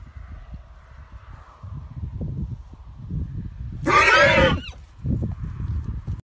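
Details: Cremello Welsh pony stallion, excited while meeting a new paddock mate, gives one loud, shrill squeal lasting under a second, harsh and wavering; low rustling and thumping before and after.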